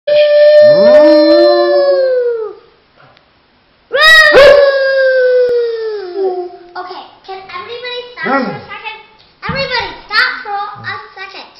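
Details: Alex the dog howls twice, each long, tonal, slightly wavering cry holding steady then sliding downward over two to three seconds, separated by a brief silence, followed by a run of shorter broken, choppy vocal notes.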